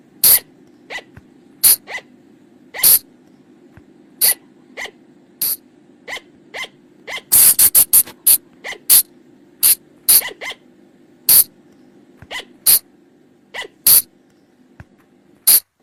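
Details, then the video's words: Flying lemur lure call used after dark in Thai forest: piercing short shrieks spaced unevenly, roughly two dozen a minute, with a tight burst of rapid cries around the halfway mark. "เสียงต่อบ่างป่า หรือพุงจง,พะจง flying lemur sound"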